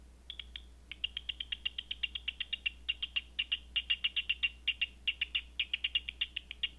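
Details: Night-time bat echolocation rendered by a Batseeker 4 detector: evenly spaced, sharp clicking pulses, roughly two or three per second, forming a steady rhythmic train with a few short gaps, above a faint continuous electrical hum.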